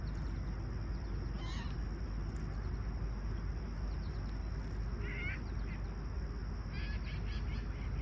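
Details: Crickets on a clear, calm summer sunrise at Toronto's Humber Bay Shores, July 28, 2020, 20ºC: one steady, unbroken high-pitched trill runs throughout over a deep outdoor rumble, with a few short bird calls.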